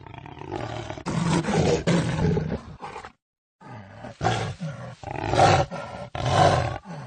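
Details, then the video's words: Jaguar roaring in deep, hoarse bursts of rough grunting sound, several loud surges, then a short silent break near three seconds before more raspy roars follow. "Jaguar roar sound"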